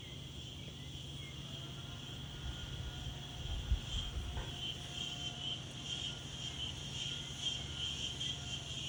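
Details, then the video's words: Insects calling outdoors in daytime: a steady, high, shrill buzz with faint pulsing overtones runs throughout, while gentle wind gusts rumble and rustle underneath, strongest around the middle. "Wind and Insects"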